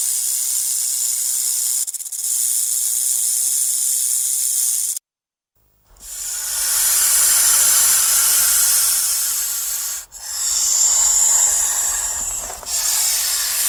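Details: Snake hissing, a sound snakes make when they feel threatened or frightened: a harsh, airy, high-pitched hiss like wind through a narrow gap, broken by a brief silence near the five-second mark before two further long hisses.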